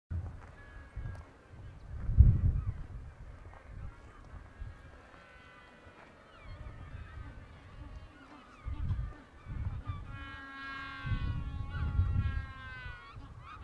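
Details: Guanaco (Lama guanicoe) in Patagonia gives shrill, quavering bleats that rise into a trembling, laugh-like whinny, over low wind rumble.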